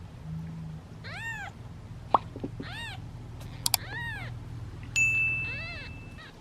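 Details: Hungry domestic kittens, seven in a basket waiting their turn at feeding time, give short arched meows about once a second, with a few clicks and knocks and a steady tone near the end.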